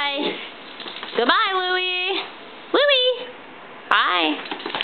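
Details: Louie, a pet mutt (Italian greyhound and miniature pinscher mix), 'sings' and talks to his owners indoors. He gives three drawn-out, harmonic, whine-like notes that swoop upward and then hold steady, separated by short pauses.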